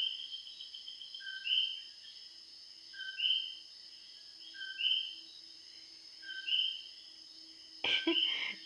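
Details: Common coquis, frogs singing loudly at 2:00 in the morning in Puerto Rico; a two-note call, a short low note then a higher whistled rising note, repeated about every 1.6 seconds, with a brief knock near the end.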